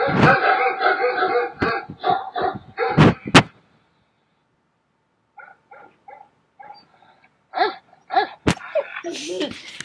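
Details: Recorded dog barking played indoors to a puppy: rapid bursts of short, harsh barks for about three seconds, a two-second silence, then a quieter series of clipped barks and a final louder cluster.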